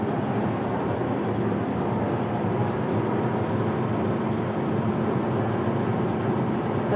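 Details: Loud continuous mechanical rumble, like a train or engine, fills the whole recording with no animal voice.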